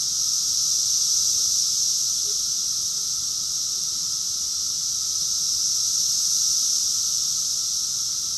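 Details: Cicada chorus recorded in summer, June 2021, in Rockville, Maryland, USA: an unbroken, steady high hiss of many insects droning together at even loudness, with a faint lower hum underneath.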